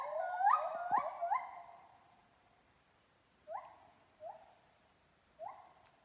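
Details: In Kaeng Krachan National Park, a monkey sings loud, rising whooping notes that swoop upward, then hold and fade.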